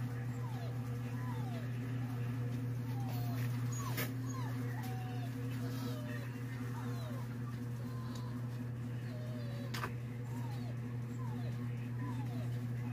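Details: A Siberian Husky reacts to a dog's sound played through a cellphone, giving short, high whimpering yips several times a second over a steady low hum.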